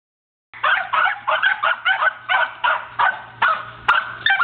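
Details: Two corgis herding and pushing a basketball in play give a steady, excited stream of short, sharp, high-pitched yaps, about two or three a second, with a faint low hum behind them.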